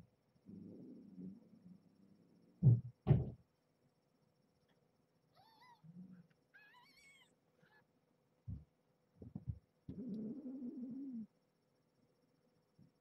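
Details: Domestic kittens with their mother cat Marge at bedtime, kept in a box inside her cage: a short run of thin, high, rising mews midway, set among soft rustling, towel shuffling and a few loud thumps.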